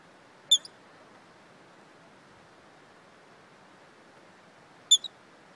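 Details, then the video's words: A squirrel with the hiccups, encountered while hiking: two isolated bright squeaks roughly four seconds apart, each with a quick quieter afterclick, and otherwise only soft steady hiss. "Squirrel with Hiccups"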